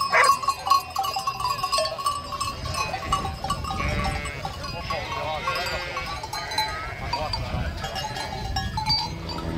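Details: Sheep bleating: wavering, tremulous bleats rise out of a busy, cluttered background in the middle of the recording, with other knocks and noises throughout.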